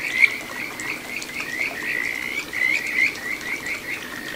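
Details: Kajika frog voice at a little satoyama brook in Ichihara, Chiba, Japan, June 2022: a quick series of short upslurred whistles, roughly five per second, slightly uneven, over soft stream noise.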